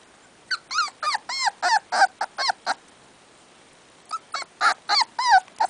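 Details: Miniature Dachshund puppies, a brother and sister born 24 July, give rapid, high, arching whines and squeaks in two quick bursts.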